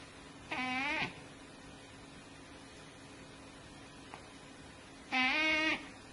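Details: Two short cat meows about four and a half seconds apart, each rising slightly then falling, with quiet room hiss between them.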